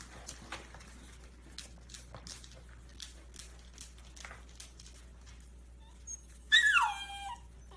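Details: An 11-week-old Scottish Terrier puppy in a box: soft scratching and tapping, then one sharp, high whimper near the end that slides steeply downward with bright overtones.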